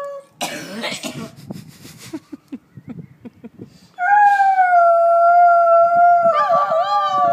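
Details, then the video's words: A 2-year-old Alaskan Malamute howls in response to police sirens, giving a long, steady, wavering howl after a few huffing, coughing breaths. "Alaskan Malamute Howling"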